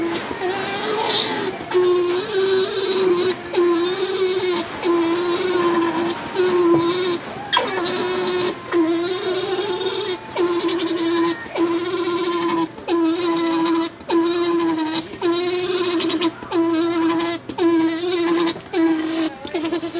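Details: Male alpaca Tack at Ube's Tokiwa Zoo, greeting the female Jane after she was sheared in the alpaca barn. A sustained mid-pitched hum comes in repeated pulses, roughly one a second, with brighter hissy sounds and clatter in the background.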